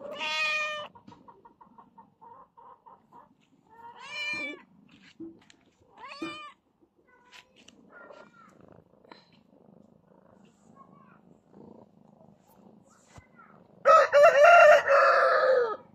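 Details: Cat meowing in short separate bursts, a clear meow at the start, brief rising mews around four and six seconds, faint murmurs between, then a loud strained drawn-out meow near the end.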